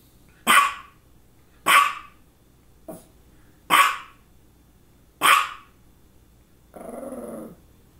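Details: Five clear, sharp barks about a second apart, one of them faint, come from a female dog around two focal seizures, one just before and one shortly after. A short buzzing tonal noise closes the sequence.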